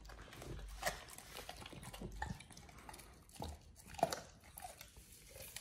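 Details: Oliang the Pit Bull gnaws a raw ostrich paw for the first time; scattered crunching bites and wet smacks, sparse and uneven, over a low indoor rumble.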